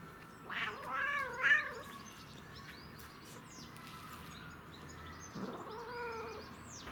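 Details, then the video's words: Domestic cat making funny noises while enjoying catnip: two short wavering meows close together near the start, then a quieter drawn-out meow later, with faint chirping in the background. "Cat Makes Funny Noises While Enjoying CatNip"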